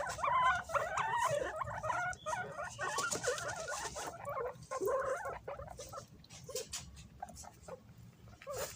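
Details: Several pet guinea pigs fighting over bananas, raising their voices when something approaches; dense overlapping squeaks and chirping squeals, rising and falling quickly, with short breaks and rustling.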